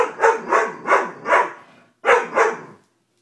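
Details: Deep, resonant barks from a Doberman: four evenly spaced barks about half a second apart, a short gap, then two more before silence.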